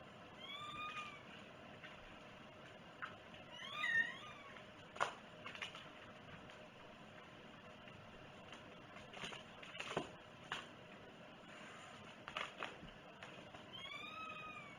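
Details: Domestic cat meowing several times, with short rising-falling mews near the start, middle and end, between scattered clicks and rustling in a quiet room.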